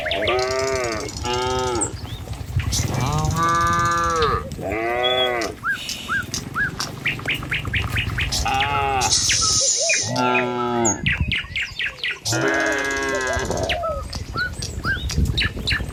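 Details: Morning herd of tame cattle wandering down a village road toward the pen, following one another; repeated overlapping moos and lowing calls across the recording, some short and some drawn out, with frequent bird chirps and hoof sounds between them.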